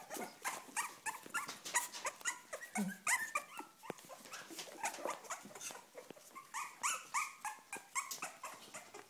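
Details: Cavalier King Charles Spaniel whimpering in a rapid, eager run of short, high, tonal whines, about three or four a second, some rising and falling, with brief pauses and a low grumble near the middle.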